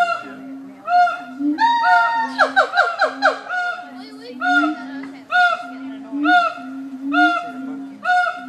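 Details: Captive siamangs at the Nashville Zoo give loud, honking whoops, with a quick burst of falling, barking notes in the middle.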